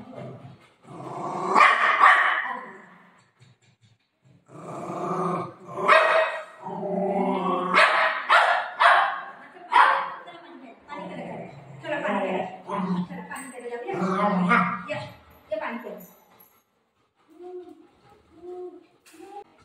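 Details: Golden retriever named Buzo playing with his mom at home, said to be telling her that an auntie has come and to open the door: irregular bursts of barking and growly vocal sounds, with a woman talking in Marathi between them.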